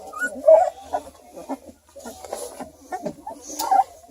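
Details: Two-week-old purebred Redbone Coonhound puppies in a litter near Kingston, Ontario, Canada: short high whines and squeaks, scattered irregularly, with soft background music.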